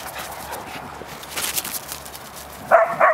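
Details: Dog Champ yelps out during play with Cash and Vinnie, expecting Cash to put him in his place although Cash does nothing. Two short, tonal, high yelps come at the very end, after quiet shuffling and brief scraping noises.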